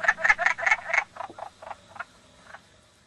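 A wood frog gives a quick run of hoarse, clucking croaks that fade away.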